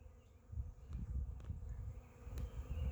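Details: Huge honey bee swarm clinging to an oak tree in a yard: dense, steady low hum with pulsing surges of loudness throughout, a few faint clicks.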